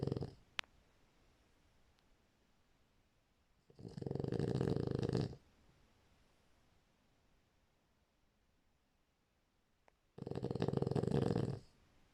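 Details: Low, buzzing snores from a sleeping French Bulldog, two long rattling breaths roughly six seconds apart with near silence between, plus a faint click early on.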